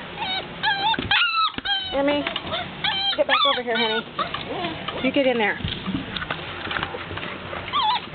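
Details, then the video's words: Several Golden Retriever puppies whining and yelping to be let out: high, wavering whines and short rising-falling squeals overlap in a constant chorus, with a few sharper yelps. "Noisy Puppies 2"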